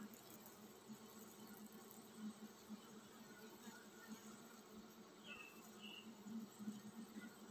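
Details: Honey bee colony preparing to swarm, a steady low hum that throbs gently in intensity throughout, with a couple of short higher chirps breaking through near the end.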